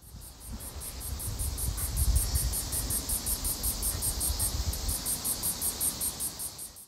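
A chitchi cicada gives a long run of thin, high-pitched ticks at about four per second, evenly spaced like a small clock. A low wind or traffic rumble fills the background.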